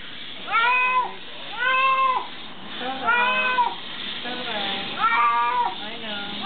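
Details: House cat protesting during a bath, crying out continuously; five long, nasal wails in steady succession, each rising then dropping, with faint lower murmurs between them.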